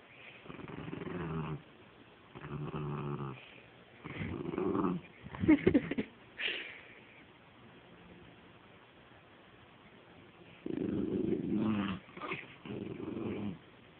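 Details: Penny, a dog tugging and playing with a stuffed animal toy, growls in low rough bursts, then falls quiet before growling again; a woman's voice and toy squeaks are mixed in midway.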